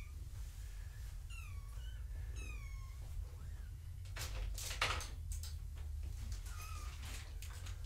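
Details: Foster kittens of the cat Gaia at weigh-in time indoors: a run of high, wavering, descending mews early on, then rustling and clattering handling noise, followed by a few more faint mews, all over low hum.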